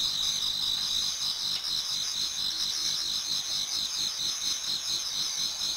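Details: Numerous autumn insects sing in a Japanese garden toward dawn, producing a constant bright, high trilling wash with rapid pulsed chirps woven through two shrill bands, steady and uninterrupted.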